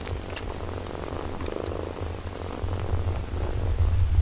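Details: Mother cat caring for her six-day-old kittens, giving a low, rumbling purr that throbs steadily throughout, growing slightly louder toward the end.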